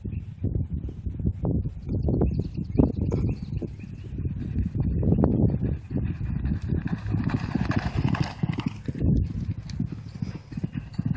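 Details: Thoroughbred race horses at a training workout on a training track at a training center: dense, fast, low thudding hoofbeats pound steadily throughout in a galloping rhythm, swelling and fading slightly as the horses pass.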